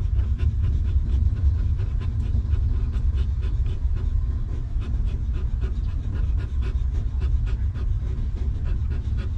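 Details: Stray dog mother sheltering her puppies in a rough environment; regular short breathy pants, about three a second, continue without pause above a loud low-frequency hum.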